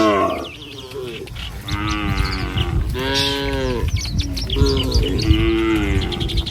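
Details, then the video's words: {'caption': 'Tame cattle travel as a herd along a village road at morning, going to a field for food. About five moos in succession, each rising then falling slightly, from several animals. Scattered bird chirps in the background.'} "Suara Sapi Mouu"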